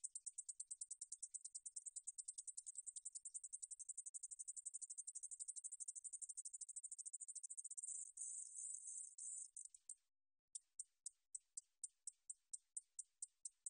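A Japanese bush katydid sings a high, dry run of rapid ticks, then a brief buzz and slower clicks.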